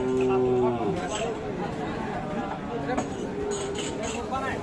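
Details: Deep, steady moo of a Sahiwal bull at Aftabganj cattle market in Dinajpur on 11 October 2022, held for nearly a second before giving way to a crowded background of people talking and market noise.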